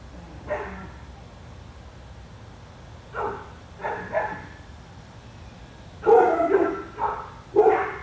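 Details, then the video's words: Dog barking on Spruce Street in Royse City, Texas, a dog said to bark for hours a day. Six harsh, rough barks come in irregular bursts, some in pairs, with faint steady background noise between them. "Our dog barking"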